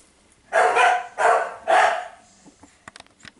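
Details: Female Staffordshire Bull Terrier puppy named Panda from a breeder's litter, recorded 16 May 2018: three loud, harsh barks roughly half a second each, evenly spaced, followed by faint clicks and rustling.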